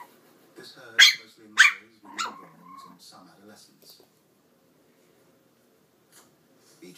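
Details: Eight-week-old Chihuahua puppy giving its first barks indoors: two loud, sharp, high yaps about half a second apart, a weaker third yap, low voice-like sounds, then quiet.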